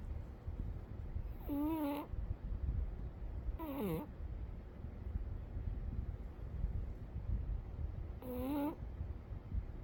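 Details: Umi the cat asleep, letting out three brief whistled snores several seconds apart, one sliding downward in pitch, against a continuous deep background rumble.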